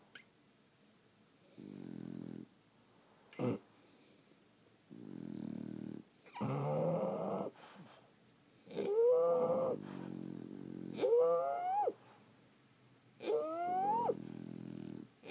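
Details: French Bulldogs asleep at home, snoring loudly. Rasping breaths come every one to two seconds. Later snores rise into squeaky, whining nasal whistles layered over a gravelly rumble.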